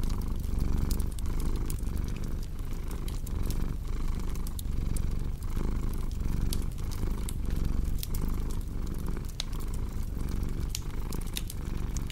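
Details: Steady low purring from a cat, its soft rumble beating in short breath cycles throughout, accompanied by the constant crackle and occasional loud snaps of a wood fire.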